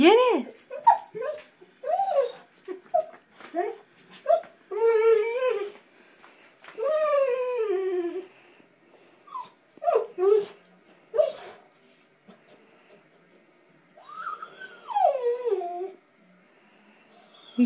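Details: Abby, a female springer spaniel, eager to get at a water bug in a bathtub indoors; rapid high yips followed by long, wavering, rising and falling whines, with a person's encouraging voice in the background.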